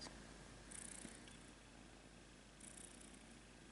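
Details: Soft, steady purring from Rudolph, a pet kitten, indoors while a person asks him about moon colonies; a low continuous rumble with brief brighter hiss bursts near one and three seconds.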